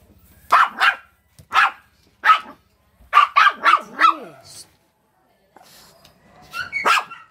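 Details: A jealous Shih Tzu, reacting to a rabbit, gives sharp, high yapping barks, some in quick bursts of three or four, with a few whiny yips.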